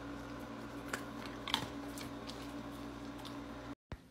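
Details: Quiet indoor room tone with a steady low hum and a few soft clicks and taps, then a brief dropout.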